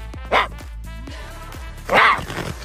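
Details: An adult cougar gives two short, harsh, raspy calls over steady background music; as a cub its call is said to sound like birdsong.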